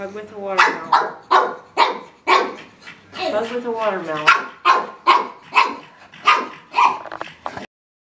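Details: A pug barks at a watermelon; quick yappy barks mixed with a person's voice and a drawn-out whine in the middle, then a steady run of barks that stops abruptly.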